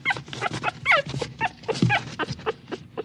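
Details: Small dog whimpering in short, uneven whines and squeaks that slide downward, packed closely over a few seconds with some breathy, noisy bursts.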